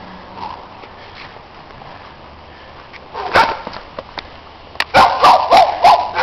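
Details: Dogs in snow, with a quiet start giving way to a few barks, then a burst of four fast loud barks near the end, from neighbours' dogs being noisy.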